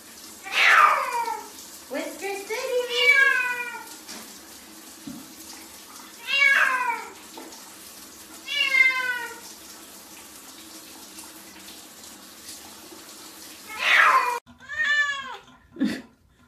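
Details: Wet pet cats taking a bath, meowing repeatedly: a series of drawn-out, falling and arching meows spaced a few seconds apart, with a louder pair near the end and faint room sound between calls.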